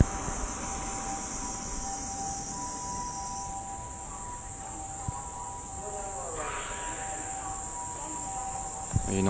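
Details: Several kinds of cicadas in Tokyo, Japan, in summer form a dense chorus, a steady high shrill hiss over rumbling car traffic and a siren.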